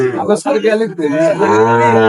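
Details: Market scene in Dhaka on 10 June 2025, where farmers are buying Sahiwal bull calves. Men haggle over prices for the first half, then a sustained, level, low moo rises out of the chatter and continues to the end.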